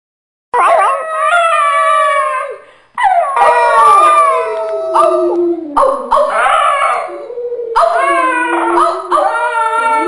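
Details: Two dogs, Millie and Maddie, howling together: long wavering harmonic howls that slide downward, overlapping voices rising and falling, with short breaks between bouts.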